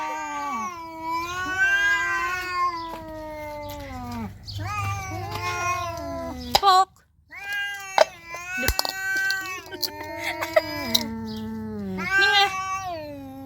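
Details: Two calico cats, a young one and a nursing mother, face off in a fight: drawn-out rising and falling growling yowls, several in a row, broken by brief spits and a short pause, with a woman repeatedly telling the cat to go.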